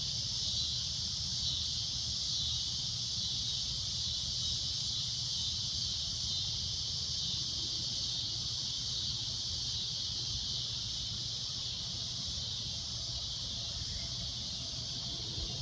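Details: Loud shrill cicada drone at sunset, a continuous high-pitched buzz that never breaks, over a soft low background rumble.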